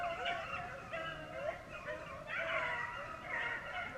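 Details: A beagle pack in Vera, Virginia bays together in a dense, continuous chorus of overlapping howling notes that rise and fall, with no pauses across the stretch.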